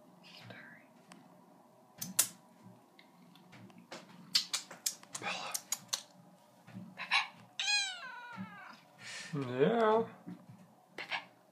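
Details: Bella, a female seal point Siamese cat a little over four years old, talks to her owners from a bathroom sink: varied meows, some rising and wavering, one long drawn-out yowl near the end, with clicks and a woman's soft voice.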